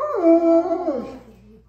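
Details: Wolfdog giving a single short howl: a steady, harmonic-rich tone held for about half a second, then sliding downward and fading within about one second.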